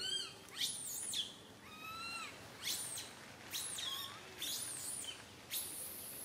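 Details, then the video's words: Baby monkey Santo, up on a branch, cries loudly as mother Sara fails to tend him: piercing high shrieks mixed with short arching whines, roughly one outburst per second, with a quiet background. "Little Monkey SANTO cries on the branch tree so loudly"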